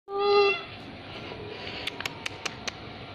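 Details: Friendly orange, white and brown cat gives one clear, loud harmonic meow lasting about half a second, followed by quiet background with a few sharp clicks.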